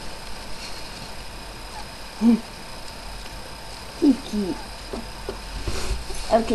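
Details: Miley's five newborn puppies, born the previous night, three boys and two girls: brief isolated squeaks and mewing whimpers spaced a second or two apart over quiet room tone, with faint soft speech nearby.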